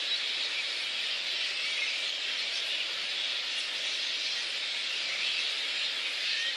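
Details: Roosting little red flying foxes in Boonah, Queensland, Australia, on 19 February 2014, ahead of a daytime dispersal by council and contractors. Many bats produce a continuous shrill squealing din, a thick high-pitched chorus with no pauses.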